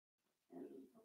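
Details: Four-week-old Cavalier King Charles Spaniel puppies from Daisy's litter in their indoor pen give a low, nasal grunting whimper lasting about half a second, rising out of near silence and trailing off into softer murmurs.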